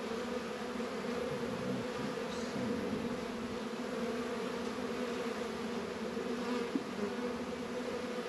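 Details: Warm 72-degree winter day in northern Kentucky, honey bees active around apiary hives; continuous layered buzzing of many bees, even in loudness, with a single sharp click near the end.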